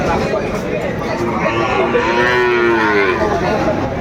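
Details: At Aftabganj cattle market in Dinajpur on 2 September, where Sahiwal bull calves change hands, one loud, sustained moo swells and fades in the second half. It rises out of a murmur of crowd voices.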